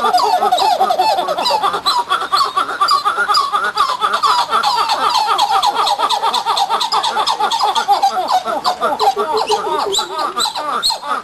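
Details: Coppery titi monkeys (Plecturocebus/Callicebus cupreus) call in a loud, rapid chorus of repeated, gobbling notes.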